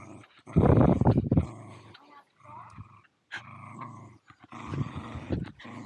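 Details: Zorro and Zula, a pair of Welsh Terriers at Torgo Talu farm guesthouse in Estonia, caught mid-play on an Insta360 Go2. One loud, gritty growl opens, then quieter grumbles, a faint whine and sharp snapping clicks follow.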